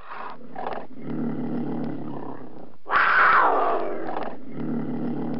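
Cougar growling in low, rumbling bursts, broken by one louder raspy snarl that sinks in pitch before the steady growl returns.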